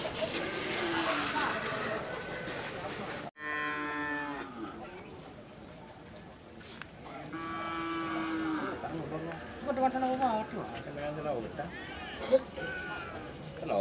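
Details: Madura cattle at a karapan sapi bull race training session at Asemanis field, Madura, East Java, Indonesia: several drawn-out, harmonic moos rising and falling, with crowd chatter and a burst of loud noise at the start.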